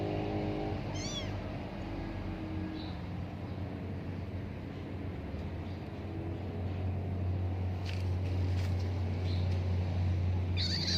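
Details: Rescued tabby kitten playing and exploring outdoors in nature; one thin, high, wavering mew near the start, then quiet with a low steady hum and a few faint clicks.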